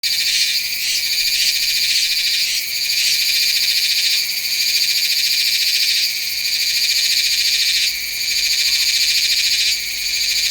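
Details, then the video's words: Meimuna iwasakii cicada recorded in September at Nanzhuang, Taiwan, with a Sony A7s3 and Rode VideoMic NTG: loud, shrill, metallic buzzing held almost continuously. It dips briefly about every two seconds, then swells back to full strength. "岩崎寒蟬 蟬鳴聲 / Meimuna iwasakii"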